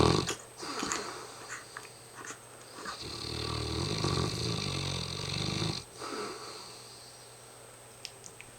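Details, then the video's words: A very tired mastiff snores heavily, with a rasping, growly drawn-out breath swelling for several seconds, then fading into softer wheezy breathing. "the mastiff snoring up a storm"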